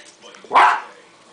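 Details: West Highland White Terrier puppy named Duke, 3.5 months old, playing with tape indoors; a single short sharp bark rising out of quiet room noise, with a television faintly in the background.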